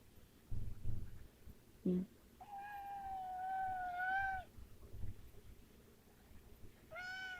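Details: Weird-sounding domestic cat gives a long, drawn-out harmonic meow of about two seconds, level then slightly rising, followed by a shorter meow; low thuds and handling noises sound before and between.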